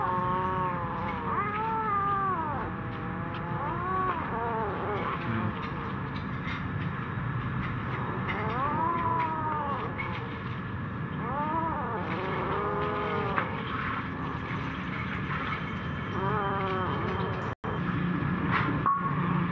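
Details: Kittens eating food in fear give a run of arched, harmonic-rich meows, several in close succession, rising and falling in pitch over a constant low rumbling background noise.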